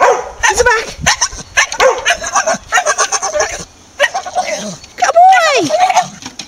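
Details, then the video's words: Chattering Staffordshire bull terrier producing rapid rhythmic grumbles and yaps like mock talking, then a pause and a rising-falling whining howl near the end. "Staffordshire Bull Terrier chattering"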